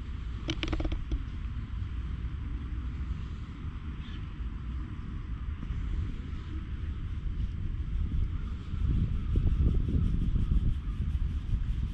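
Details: Deep outdoor traffic rumble with a few brief clicks and handling knocks, swelling louder near the end, and no animal call.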